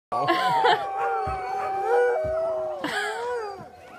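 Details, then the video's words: Dogs left behind crying and howling after the first team left, sounding like wolves; several overlapping long sustained wavering tones in chorus, one sliding down near the end, with brief sharper cries breaking in. "Crying and howling (baying?) like wolves"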